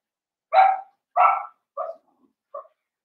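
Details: Seven-week-old blenheim Cavalier King Charles Spaniel puppies, a litter of five, in an indoor puppy pen: four short, sharp barks in quick succession. The first two are loud and full, and the last two are quieter and thinner.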